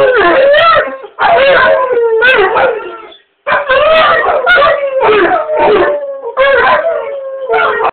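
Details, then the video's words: Howling chorus from a male English Mastiff and a rottweiler in the background, started by outside dogs howling: repeated loud, wobbling howls in bursts of one to two seconds, pitch bending up and down, brief pauses between bursts. "English Mastiff Howling"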